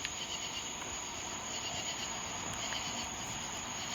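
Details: At night in a neighbour's yard, a katydid calls with a thin, high, continuous buzzing trill holding steady throughout, amid tree crickets thought to be black-horned.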